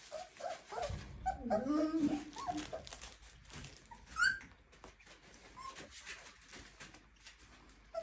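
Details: A 23-day-old Clumber Spaniel litter whimpers indoors: wavering, tonal whines cluster in the first three seconds, then a sharp rising squeal and a few isolated yelps follow, with faint human voices in the room.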